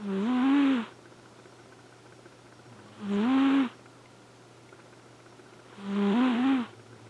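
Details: Sleeping Flame Point Siamese named Elfin, a male pet cat, gives three rasping, tonal snores about three seconds apart, each swelling and wavering slightly upward before fading, with a faint constant hum underneath.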